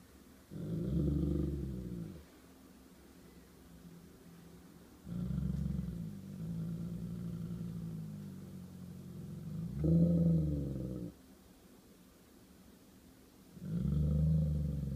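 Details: Golden Retriever in a territorial standoff with a squirrel, giving low, throaty grumbling growls in bursts of one to several seconds, about four bouts with quieter pauses between.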